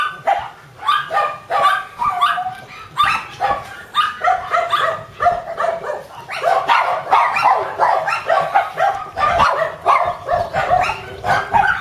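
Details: Mame-shiba-sized Shiba Inu puppy: wavering whimpers and sharp yaps arriving in uneven bursts, sparse at first, then a denser, almost continuous stretch of overlapping yelps after six seconds.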